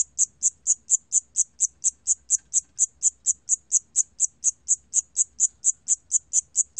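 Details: Shrill, high chirping of a Siamese cricket, from a 2020 National Institute of Biological Resources recording: clean, rapid pulses repeated at a steady pace of about four a second, with nothing else audible.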